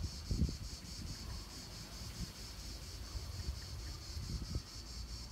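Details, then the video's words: End-of-July cicada chorus in a park in Nancy, France, 2017, a steady high shimmering buzz pulsing quickly and regularly, partly masked by gusty wind noise and low rumbling. "Cigales à Nancy, fin juillet 2017"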